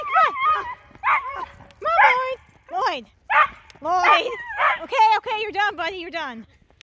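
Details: Miniature Schnauzer kept as a pet, screaming: rapid series of loud yelping wails, each sweeping up then down in pitch, rich and harmonic, some quavering, about ten cries packed into seven seconds, closing with a long falling whine.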